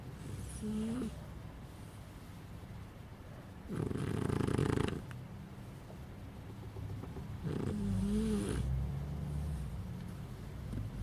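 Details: Sleeping puppy snoring in slow, regular breaths, each inhale a low rasp with a faint whistling squeak, about three breaths heard in a small quiet room.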